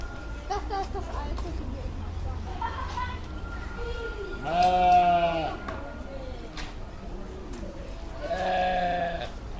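A sheep gives loud, wavering bleats with rich harmonics, separated by quieter pauses.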